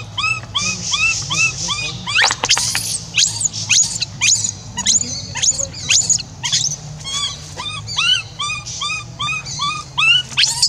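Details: Orphan monkey Rainbow crying to call someone back after being left alone; a series of arched, whining cries with stacked harmonics, broken by a sudden loud burst of harsh screaming, then more shrill squeaks.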